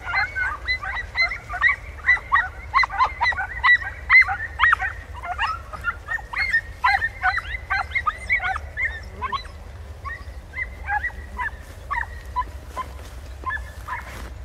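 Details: Pack of podencos hunting in bramble in Campo Arañuelo; rapid, excited barking and yelping from several dogs, about two per second, dense at first, then thinning into scattered yelps, with low background rumble.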